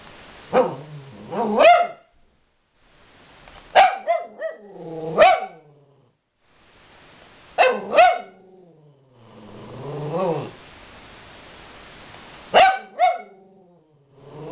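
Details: Angry domestic dog barking at its owner, sharp harsh barks in paired bursts roughly every four seconds, with low growling whines between bursts; indoors, no other clear sounds.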